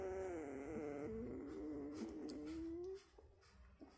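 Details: Central Asian Shepherd puppies produce a long, steady, plaintive whine with a slight wobble, holding for three seconds before stopping abruptly. Only faint soft noises remain afterward.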